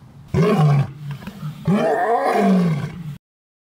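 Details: Rescued male leopard living at a wildlife refuge after a roadside zoo in Colorado, giving two deep, loud roaring calls, the second longer with a falling, groaning tone, then silence.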